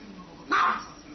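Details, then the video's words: A dog gives a single short, sharp bark against a quiet background. "Dogs barking"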